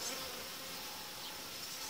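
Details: Honey bees inside a hive where two colonies are being united, about five days after dividing boards were added, as the boards are removed; a dense, steady hive hum with a faint pitched band under a bright hiss.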